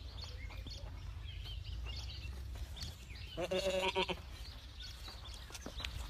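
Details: Boer goat kept on a farm; a single harmonic, wavering bleat lasting about half a second, over a steady low hum and faint background noise.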